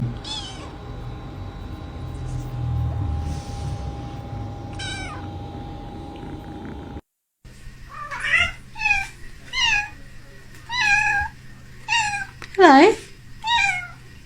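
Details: Cat meowing in a home: a series of wavering, rising-and-falling meows repeated roughly every second, with one longer drawn-out meow near the end, after a first stretch with a steady background tone and soft music.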